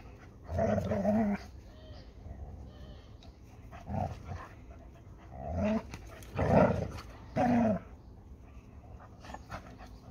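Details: A Labrador Retriever and a Hungarian Vizsla, named Málna and Ede, tussle over a ball. Short, gravelly growls repeat about once a second in scattered groups, with quiet gaps and soft background rustle.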